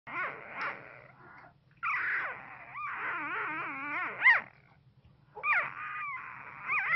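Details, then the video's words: A one-week-old Pit Bull puppy whimpers in its sleep during an intense dream, giving thin, wavering squeaks that rise and fall in short bursts. "Newborn puppy makes adorable sounds during intense dream"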